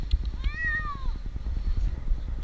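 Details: Stranded for two nights up a tree in Newark, Ohio, the 8-month-old kitten Jinx lets out one clear, rising-then-falling meow lasting about half a second, against a pulsing motor drone.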